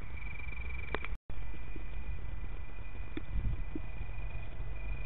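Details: Male Italian tree crickets sing a continuous, even, high-pitched purr in Berlin on 24 August 2013, over a low rumble of distant traffic and a few faint knocks.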